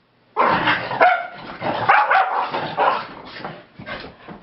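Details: Keeshonds romping together after a long walk: continuous noisy play with overlapping growls, yips and barks, rising and falling in loudness over four seconds.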